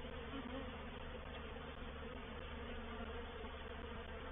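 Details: Many honey bees of a reproductive swarm moving into a bait hive, Painted Peacock Manor, 04/07/21: constant thick buzzing drone, even in loudness, with a slight brighter swell near the start.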